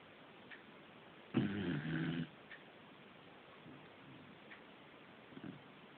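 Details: Fujiko the corgi snoring at home: one loud, gravelly, buzzing snore lasting nearly a second, then only soft faint breaths in an otherwise quiet room.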